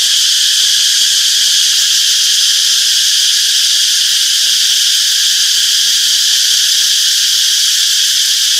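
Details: A summer forest full of cicadas, their chirping merged into one continuous shrill hiss that holds constant without breaks; no birds, voices or other distinct sounds stand out.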